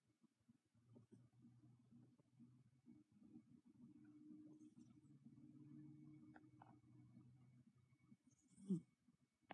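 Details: Domestic cat snoring while asleep indoors: a soft, low, droning rumble held for several seconds at a time, with faint rustles and one sharp click near the end.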